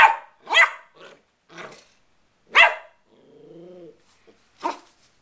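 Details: Playful Westie puppy: a handful of high, harsh barks spaced irregularly about once a second, with a brief low hummed tonal sound partway through and a final yap.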